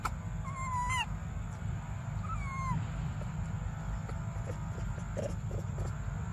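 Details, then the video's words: Infant monkey named Briar, desperate for milk, gives two brief wailing cries in the first three seconds, the second sliding downward, then falls quiet against a low background rumble and a thin high hum. "Desperate Baby Briar Cries For Milk"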